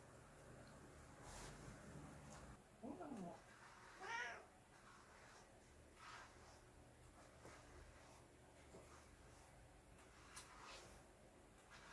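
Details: Domestic cat being bathed gives two short meows, the second higher and more strained, about a second apart, over a steady background of running water and household noise.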